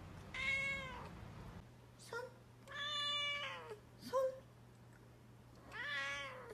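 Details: Cat giving a run of loud, bright harmonic meows, four long drawn-out calls with short chirps between them, spaced about a second or two apart, against a steady low hum in a small indoor room.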